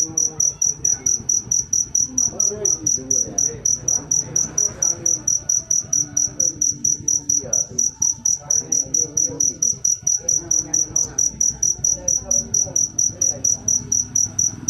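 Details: Steady high chirping from a jangkrik manis cricket, short sharp pulses following each other quickly and evenly, over a soft background of distant talk and low noise.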